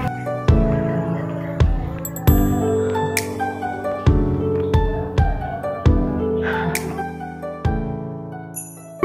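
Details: Gentle piano music plays with slow, repeated struck chords and no animal sound.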